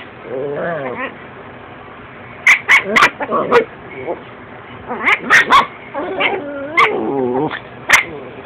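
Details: Chihuahua puppies wrestling, one a ten-week-old female described as vicious; wavering growly whines mixed with clusters of sharp yipping bursts, and people talking nearby.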